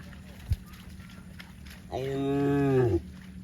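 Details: Cow out in the fields where cows run about, giving one drawn-out, rich, steady moo of about one second that dips slightly at the end. A short knock comes just before it, over a low rumbling background.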